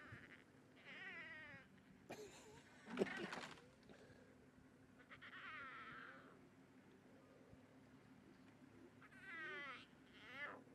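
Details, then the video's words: Nkhuma big cat cubs greeting their mother at sunrise on 23 August as she returns from drinking at a pan, squabbling over milk, one cranky at missing a suckling spot; several wavering, mewing growls in bursts, with a loud thump near the middle. "Nkhuma Cubs Greet Mom with Lots of cubby growls"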